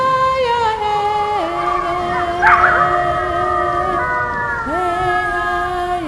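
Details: Wolves in Bavaria giving long, smooth, sustained howls in several overlapping voices. Each tone holds level, then steps down or slides up, with a brief higher yelping burst in the middle.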